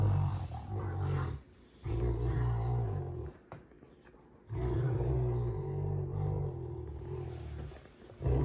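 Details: Rottweilers June and Kenai play fighting, heard as long, sustained rumbling growls lasting a second or more each, broken by brief pauses and a sharp click of movement.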